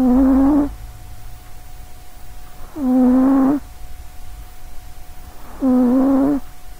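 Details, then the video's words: Short-legged pet cat asleep indoors near a microphone, snoring loudly; three long nasal rasping snores, each about a second long, come roughly every three seconds with quiet breathing between. "sausagecat snoring"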